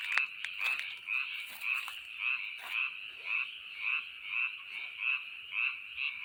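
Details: Frog calling: a steady train of short, bright, rasping croaks repeated roughly twice per second at an even pace, with a few clicks and crackles near the start.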